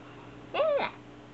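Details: Black foster kittens, siblings Hachi and Nana, peeking out from a fusuma sliding door indoors; a single short arched mew that rises then falls, against a quiet room hum.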